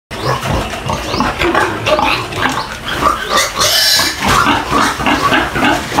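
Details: Duroc-Pietrain breeder piglets, two of them, in the Philippines; dense, overlapping high squeals and grunts filling the whole stretch, with harsh noisy bursts.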